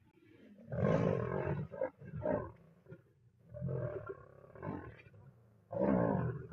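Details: Lionesses in the Masai Mara sharing a meal near a river as a large Nile crocodile approaches to challenge them; harsh, broadband snarling growls in bursts, loud rasping outbursts separated by short pauses.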